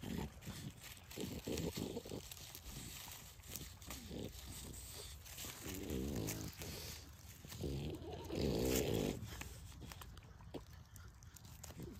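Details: American Pitbull Terrier and French Bulldog puppies at play at sundown, giving low snorting grunts and rough, buzzy growl bursts in several separate patches, with rustling and scuffling between them.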